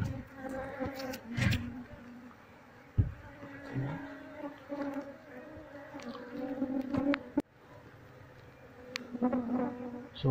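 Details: Wild honey bee colony during transfer into a cardboard hive box; humming drone with rising and falling loudness, punctuated by clicks, bumps and low handling noise.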